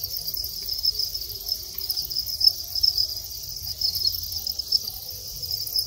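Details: Captive Thai crickets at mating time, winged adult males calling; an unbroken, even, shrill trill holds steady, with occasional brighter pulses.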